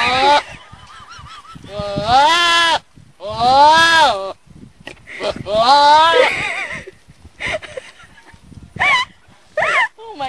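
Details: Goat giving loud, wavering, human-like bleats, three long cries with rising and falling pitch, then shorter bleats, while people exclaim nearby.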